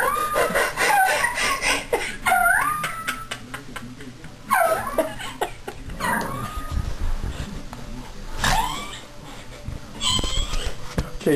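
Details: Shmutz, a pet dog, vocalizing excitedly during training: a string of high, wavering whimpers and sharp yips, some rising then falling, repeated in bursts over several seconds, with a person talking quietly in between.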